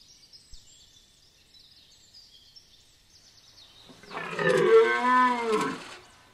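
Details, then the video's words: Rutting red deer at Chambord in Loir-et-Cher, France: after a few quiet seconds of distant bird chirps, a stag lets out a loud, rich, arching roar of about two seconds, rising then falling in pitch, ending abruptly. "Brame à Chambord Loir-et-Cher Cerf élaphe"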